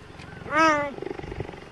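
A cheetah utters one clear meow, swelling up then sliding down over about half a second, much like a housecat's. Soft rustling and faint background noise follow it.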